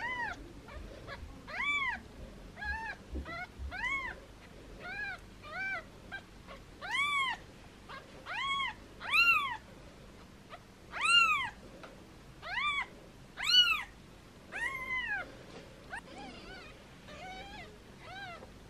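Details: Foster kittens meowing playfully while held in hands, their mother cat nearby: a long run of short, high, arched mewing calls repeated roughly every second, some louder than others, with a quiet indoor background.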